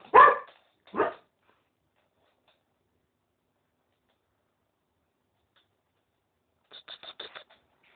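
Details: Cocker Spaniel trying to court a female West Highland White Terrier who is not interested: two loud, sharp barks a second apart, then silence, then a quick run of five short, higher yips.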